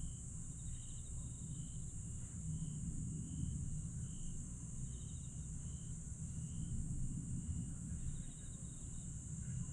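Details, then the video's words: Grass insects on a summer night in Aewol, Jeju, 22 July 2022: a steady, shrill high-pitched drone with short pulsed trills repeating lower down, all over a constant deep rumble. "천개의 달과 풀벌레 소리"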